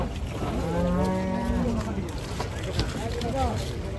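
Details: Cows being unloaded, one giving a low drawn-out moo rising and then falling, over a constant loud rumbling engine-like background noise.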